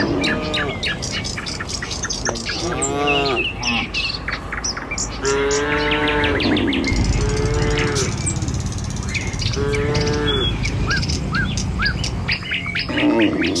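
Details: A herd of tame village cattle heading down the road to the pen in the morning gives a string of drawn-out, bending moos, one after another, while birds chirp and twitter constantly in the background.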